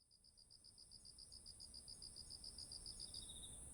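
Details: Autumn insects calling beside ripe rice fields: a high chirping pulsed steadily about three times a second, over a continuous shrill high-pitched drone, with a faint low rumble beneath.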